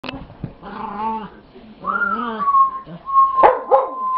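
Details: Pet dog making a new growling vocalization while play-chasing another dog, with other dogs joining in; drawn-out, moaning tones that rise and fall in several bursts, ending in a sharp bark and a steady high whine.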